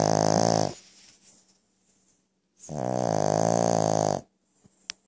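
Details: Brussels Griffon kept as a pet snoring very loud: a brief rasping snore, a faint breathy exhale, then a longer grating, vibrating snore of about one and a half seconds, followed by a couple of small clicks.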